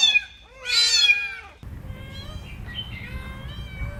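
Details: Kittens playing on green grass: one loud, bright meow opens, followed by softer, thin mewing from other kittens over a steady low rumbling background.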